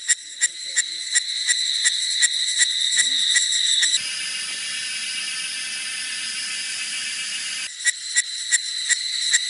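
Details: Cicadas singing in the forest of Jinlong Mountain, Nantou, Taiwan, on a hot, humid summer afternoon in May 2016. Loud, high buzzing pulses repeat rapidly, then merge into a continuous shrill drone for several seconds before the pulsing returns.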